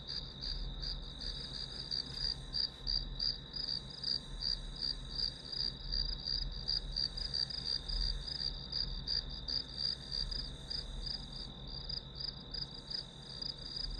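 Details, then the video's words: Grass insect calling during a one-hour study recording used as white noise: a long run of crisp, high chirps, close to three per second and very even, over a constant shrill drone with faint low rumble. "풀벌레 소리"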